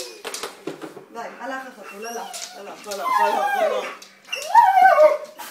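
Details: A pet dog named Rasta, hearing cat sounds from a speaker in a small room, gives quavering, sliding whimpers that grow louder toward the end, with Hebrew speech running underneath.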